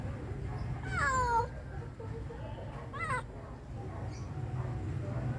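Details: Shy, wandering stray kitten; a drawn-out meow falling in pitch is followed two seconds later by a shorter, wavering meow, over a steady low rumble of background noise.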